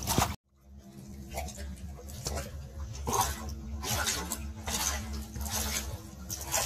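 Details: Great Dane named Glock drinking from a bucket by dunking his whole face into the water: wet, splashy slurping bursts come in uneven waves over a steady low hum.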